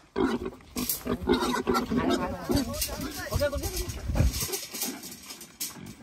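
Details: Free-roaming pigs, kept loose in a forest, being chased and caught for sale to traders: loud, rough low grunts and harsh squeals in bursts, mixed with men shouting and talking close by.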